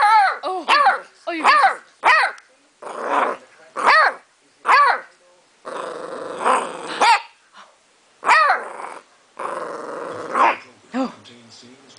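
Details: Newly adopted beagle complaining after his small chewing bone was taken away, 2008: rapid series of yelping, arched barks mixed with longer rough growling moans, some overlapping a person's voice, in a small indoor room.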